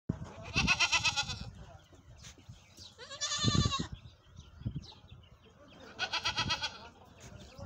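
A goat gives three loud, quavering bleats, spaced a few seconds apart.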